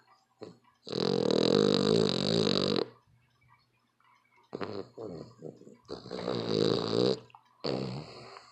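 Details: Very loud canine snoring: a long two-second grinding, rumbling snore, a pause, then a cluster of shorter rattling snorts and another long rasp, with low hum in the background.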